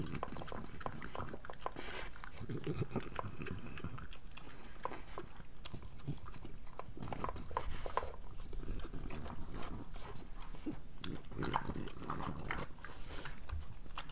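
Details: Pregnant French Bulldog eating her breakfast indoors, with steady wet chewing, crunching and lapping noises, close and continuous throughout.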